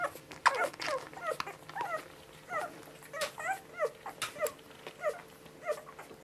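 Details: A litter of seven Border Collie puppies, one week old, from mother Honey, squeak and whimper as they feed; thin arched whines come roughly twice a second, overlapping, with soft suckling and movement noises behind them.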